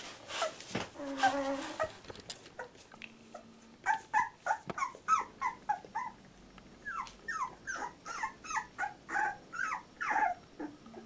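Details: Fourteen-day-old Labrador Retriever puppy from Litter J: a quick run of short, high squeaky whimpers and yelps, each rising then falling, many coming close together in a steady stream, with a few soft rustles at the start.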